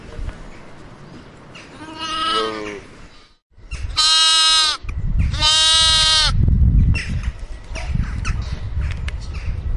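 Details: Sheep; bleat; lamb calling its mother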